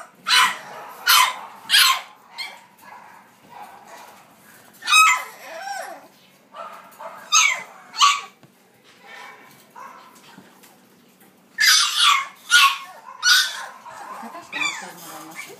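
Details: Sturdy female French Bulldog puppy born 14 July barking in short bursts: pairs and triplets of high, sharp barks separated by pauses, with a brief whine near the middle and a final cluster of four rapid barks.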